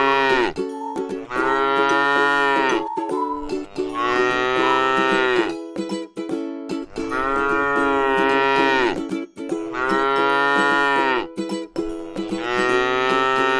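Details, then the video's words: Tame, cute cow resting in a beautiful rice field. Five long, drawn-out moos, each about two seconds, rich in harmonics and sagging slightly at the end, come roughly every three seconds over steady, music-like background tones. "suara sapi lucu jinak yang sedang istirahat di sebuah ladang sawah yang indah"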